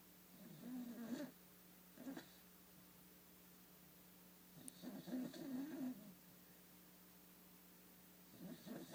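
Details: A sleeping cat snoring softly: low, rough breathy bursts about every three seconds, each lasting around a second, separated by quiet pauses against faint steady background hum.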